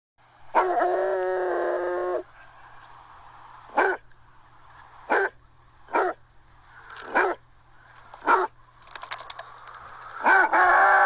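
A Basset Hound opens with a sustained, mournful bay lasting over a second, then follows with single gruff barks spaced one to two seconds apart. A faint steady hum runs underneath.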